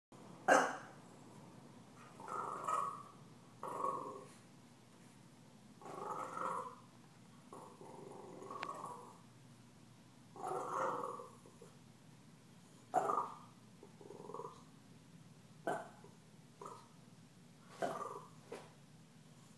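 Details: Stella, a puppy, reacts to being taunted by Gomez, a deaf cat: a string of short, harmonic growling whines about every two seconds, broken by several sharp, clipped barks, with a low steady background hum.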